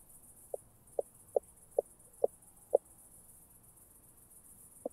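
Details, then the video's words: Southern oak bush-cricket at Starnberg, Germany, on 7 August 2023, picked up through an ultrasound detector: a series of short, sharp clicks spaced roughly half a second apart, then a pause and one more click, over a steady high hiss. "Meconema meridionale -- Südliche Eichenschrecke"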